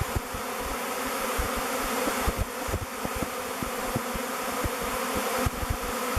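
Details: Honey bees swarm before descending onto the face of the log hive Bee Beard and entering its mouth entrance. A steady, rich low drone pulses gently, with occasional soft thuds and swells.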